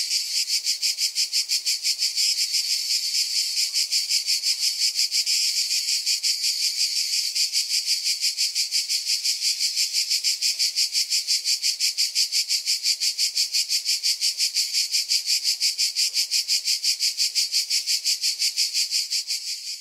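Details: Continuous shrill cicada buzz, pulsing rapidly and evenly at a high pitch for nearly twenty seconds, fading slightly right at the end, with no other sounds standing out.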